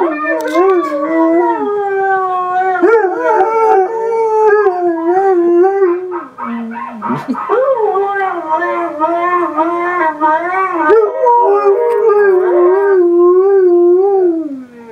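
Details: Noah, a Northern Inuit Dog, having a sing-song howl: long, sustained wavering tones that rise and fall in steady sweeps, briefly dipping and breaking mid-way before resuming in drawn-out, undulating howling.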